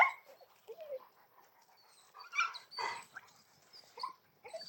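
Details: Two dogs, a big Argentino and a small chihuahua, making short high whining yips and squeaky vocal bursts scattered across the recording, with a louder cluster of harsh calls in the middle.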